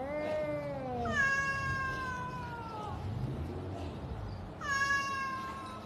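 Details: Pet cat with a long, sustained meow that gradually falls in pitch, followed after a pause by another shorter, strong meow, set against a faint rumbling background.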